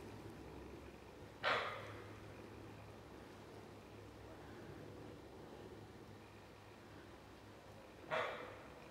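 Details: A fallow deer, recorded in July 2015, gives two single, sharp, gruff barks several seconds apart over a low steady hum.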